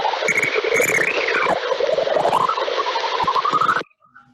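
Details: A lesser horseshoe bat's echolocation call, peak frequency around 109 kHz, heard through a bat detector as a distinctive, very wobbly, alien-sounding warble over hiss.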